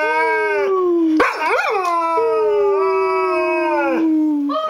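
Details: A pet dog howling at home, leading a family choir: long sustained tonal howls with rich harmonics, steady then wavering mid-clip with a brief yelping break, then resuming smooth and slowly falling in pitch.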